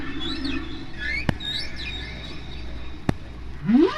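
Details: Humpback whale song from a single singer recorded by hydrophone off Bermuda in spring, at natural pitch: high descending whistled squeaks, a low rumbly tone, then a sharp rising sweep at the end, with faint crackle and clicks.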